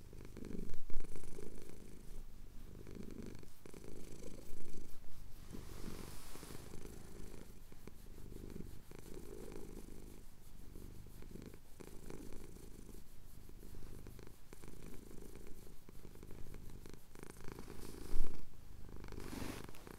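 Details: Close purring from a male cat having his chin scratched at sunrise in the Cotswold hills, taken on a Tascam DR-07X; a deep, continuous throbbing rumble, breath-paced, with a few louder bumps and rustles from handling.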